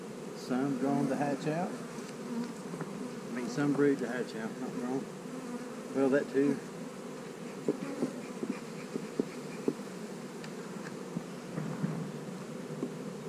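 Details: Honey bees at a hive on split day, with a queen cell in the splits: a steady low hum of many wings continues throughout, with a person talking over it for the first half and only buzzing after.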